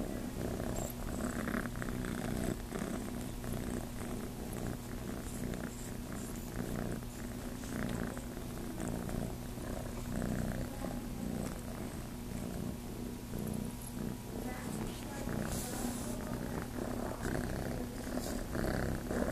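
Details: Chase, a Starlight Farm kitten wanting to nurse, keeps up an even low purr, its rapid rhythmic pulses unbroken from start to finish, with faint handling sounds now and then.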